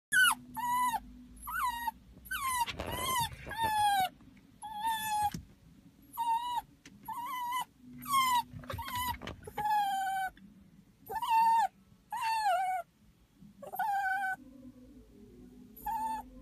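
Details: Pet dog crying while its owner is away at the toilet during a trip, October 2016: repeated high, wavering whines and yelps with rising and falling pitch, given about every second in bursts, over a steady low hum.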